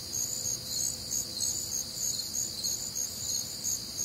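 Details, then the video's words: Midwestern summer night, warm and humid, filled with crickets: quick, high-pitched pulsing chirps from many insects layered together, rhythmic surges in a continuous insect chorus. "Night Time Cricket Sounds"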